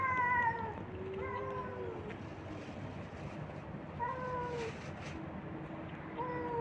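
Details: Stray kittens and cats fed on the street by a man; a run of repeated short falling meows from more than one cat, some overlapping, spaced across the clip over low background rumble.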